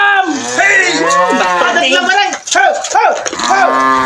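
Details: Brahman cattle, one of two Brahman cows kept with a breeding cow: a sustained, loud moo lasting about four seconds with a rough, wobbling pitch that breaks into several pulsing surges, nearly continuous with no pause.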